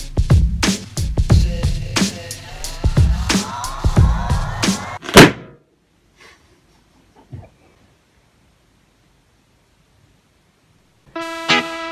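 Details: Rhythmic music with thumping beats plays for five seconds, then near silence, ending with a short electronic tone.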